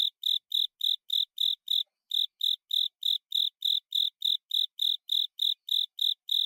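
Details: Song of a Japanese burrowing cricket, Velarifictorus micado, the call traditionally heard as "kata sase, suso sase". Bright repeated chirps come about three per second, with one short pause near the middle. No other sounds are present.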